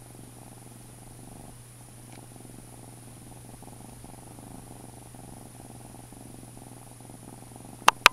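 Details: A foster kitten purrs while grooming, giving a steady, soft, low vibrating rumble for about eight seconds over a constant background hum, ending with two sharp clicks.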